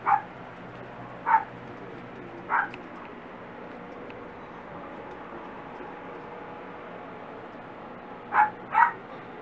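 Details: High, sharp puppy yips from Barbee's four dachshund pups at six and a half weeks: three quick calls in the first seconds, a pause, then a close pair near the end, over faint constant hum.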